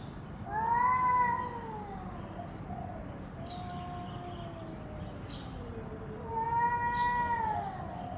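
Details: Domestic cat, angry but not fighting: two long drawn-out wailing meows near the start and end, each bending down in pitch, with a softer lower moan between them and faint clicks in the background.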